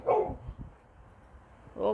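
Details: Indoor dog Rocki, breed stated as Gokden, gives two short loud barks about two seconds apart, with quiet room noise between them.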